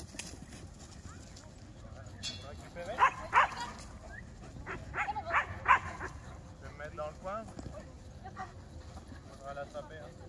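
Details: Beauceron Urkhom du Fond des Camps, 14 and a half months old, during a natural herding aptitude test on a flock; a pair of sharp barks near the third second, then three more in quick succession, over human voices.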